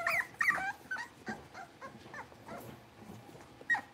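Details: A young litter of blenheim Cavalier King Charles Spaniel puppies settling into a bigger indoor pen: a few strong high whining yips at the start, then softer broken whimpers, with one sharp squeal near the end.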